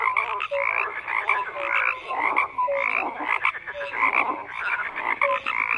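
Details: Frogs croaking in a dense chorus, with harsh pulsed croaks and short, clear, slightly falling notes recurring about once a second over a constant background of calling.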